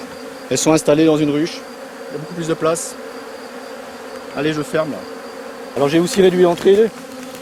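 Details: Buzzing of honey bees from a drone-laying colony being rescued, heard as several loud low hums of rising and falling pitch, each under a second, spaced through a background drone.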